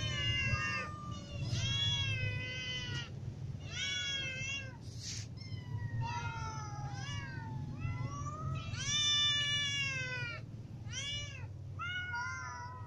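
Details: Group of hungry cats, little ones and adults with a ginger cat, meow for food; clear harmonic meows in bursts, some long and bending downward, others short and high, over a constant low hum.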